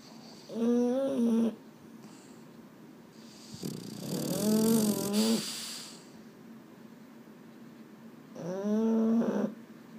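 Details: Boston Terrier at bedtime, restless and unable to sleep indoors: three drawn-out, moaning whines of about a second each, wavering in pitch, at the start, middle and end, with quiet room hiss in between.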